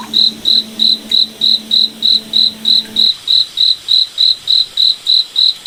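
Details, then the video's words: Cricket at night in a moonlit forest, chirping in a steady, evenly spaced series of high, bright pulses, about three per second, with a faint low hum under the first three seconds. "Cricket Night Forest Ambience"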